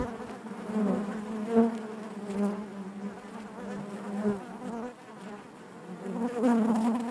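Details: Inside a beehive, a crowd of honey bees keeps up a thick, continuous buzz, its low drone wavering gently in strength, dipping around five seconds before rising again toward the end.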